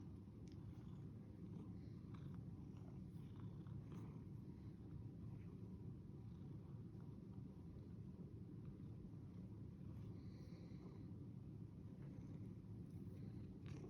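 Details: Domestic cat purring: a low, steady, continuous rumble held throughout, with faint background hiss.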